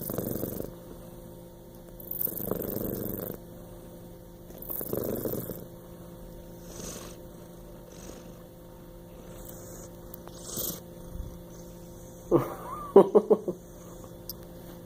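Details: A male Bengal cat snores in soft, breathy rasps that come roughly every two and a half seconds.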